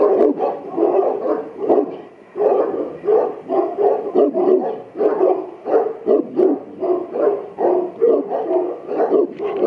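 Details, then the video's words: Charging at the camera, Buddy the Boerboel from Aubin Boerboels keeps up a fast, rhythmic series of low, harsh barks, close together and evenly repeated, with only brief breaks between volleys. "Strong Boerboel charges at camera"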